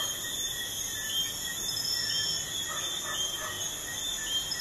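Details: Crickets chirping at night beside a busy highway: a dense, unbroken high trilling in several stacked bands, steady throughout, over a soft low hum of distant traffic.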